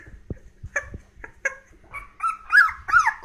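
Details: Three 16-day-old Hokkaido dog puppies, a brindle female, a brindle male and a red female, give thin, wavering whimpers that rise and fall, after soft clicks and handling noises.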